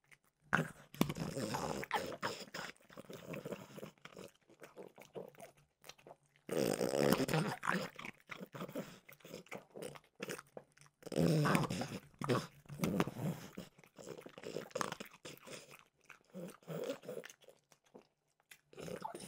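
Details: French bulldog Mimosa snacking on peanut butter flavored Trader Joe's dog treats: wet, irregular crunching and smacking in rapid bursts, with quiet pauses between mouthfuls and louder runs of chomping near the middle.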